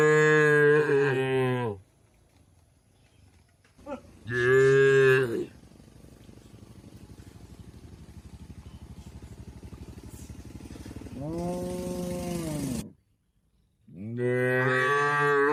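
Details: Tame cattle grazing in an Indonesian oil palm plantation. Four loud, drawn-out moos, each one to two seconds long, some bending downward at the end, with quieter stretches of low rumbling noise between them.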